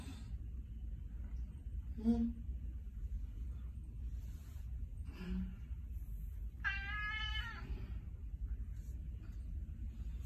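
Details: Persian cat meowing as if trying to say something: one drawn-out, slightly wavering meow near the end, after a few short soft sounds, over a low steady hum.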